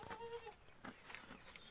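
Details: A one-day-old goat kid gives a brief nasal bleat, a steady mid-pitched tone with a clear overtone lasting under half a second, then faint rustling and low background noise.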